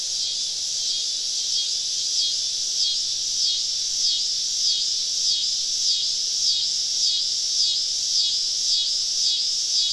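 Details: Cicadas singing all around a woodland campsite on a summer evening in the southern woods: a dense, continuous high buzzing chorus with a pulsing shimmer that swells roughly every half second.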